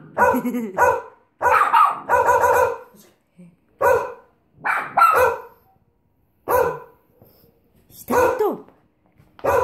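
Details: Bichon Frise barking in short bursts of two or three sharp, harmonic barks with brief pauses between groups.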